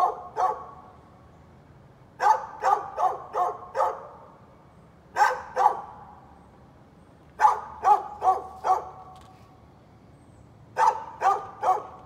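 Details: Persistent barking from a neighbor's dog, 13 November 2020: short bursts of two to four loud, clipped barks repeat every two to three seconds, separated by brief silences.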